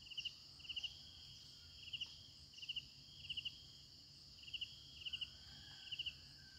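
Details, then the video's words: Crickets at night: short high chirps in clusters of three or four pulses, repeating roughly every two-thirds of a second, over a steady high-pitched background drone and low rumble. "efek suara jangkrik malam hari"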